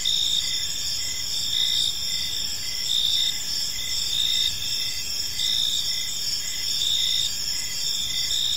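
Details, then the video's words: Crickets chirping on an evening in a peaceful park, a dense steady chorus of high trilling with a softer pulsed chirp repeating roughly every second beneath it, over a low hum of background noise. "Park Serenade: Cricket Sounds in a Peaceful Park | Evening Ambience"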